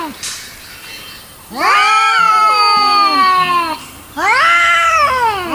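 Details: Angry cat producing two long, loud wails after a quiet start, each sweeping up then slowly sliding down in pitch, the first lasting about two seconds.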